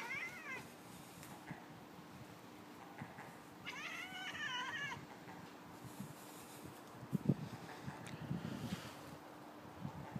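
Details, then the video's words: Savannah cat chattering at a seagull: short bursts of rapid, wavering, harmonic chirps near the start and again around four seconds, over a steady low hum and some soft knocks. "Savannah Cat Chattering at Seagull"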